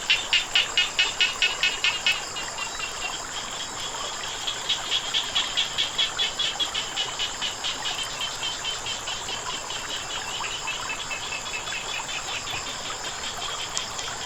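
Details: Frogs calling by flowing water: fast, rapid-fire pulsed croaks repeated about twice a second, loudest in the first two seconds and then softer and steadier, over a constant high insect whine and a low watery hiss.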